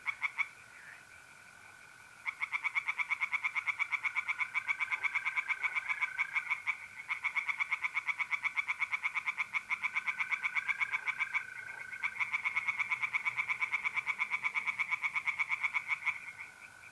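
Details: Mid-April night at a pond in north-east Italy, where tree frogs call in long runs of fast, harsh pulses repeated almost continuously, with a constant whining mole cricket trill and faint lower frog voices underneath.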